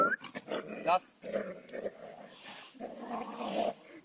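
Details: Dogs romping together at a dog training field: low, rasping play growls in uneven bursts, preceded by a brief squeaky high-pitched whine, with some human voices underneath.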